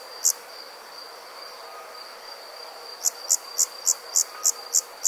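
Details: Nighttime summer insect in a rural setting: one lone high chirp, a pause of nearly three seconds, then a rhythmic series of sharp chirps roughly three per second above a faint constant whine.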